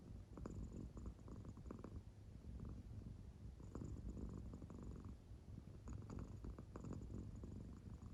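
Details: An American Shorthair cat fast asleep, its belly rising and falling, gives a soft, continuous low rumbling purr like snoring, with brief pulsed bursts of breathy texture throughout.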